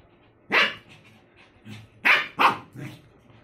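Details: Fighting Lhasa Apso gives harsh, abrupt barks: one, then a pause of about one and a half seconds, then a rapid run of three. Quieter growling sounds fill the gaps.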